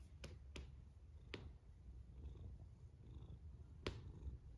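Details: A domestic cat snoring while asleep; a steady low rumbling breath texture throughout, with a few sharp clicks scattered across it.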